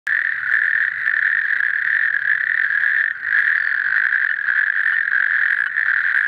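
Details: Calling natterjack toad: a loud, continuous rattling trill held at one steady mid pitch, with a brief drop in loudness about halfway through before the churring resumes unbroken.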